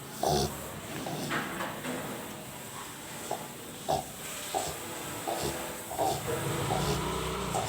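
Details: A sleeping Rottweiler snores with rough, snorting breaths that come in uneven bursts.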